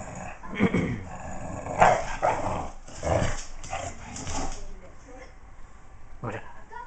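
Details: A male English bulldog puppy fools around playing, giving short, rough growls and gruff barks in bursts, with people talking nearby.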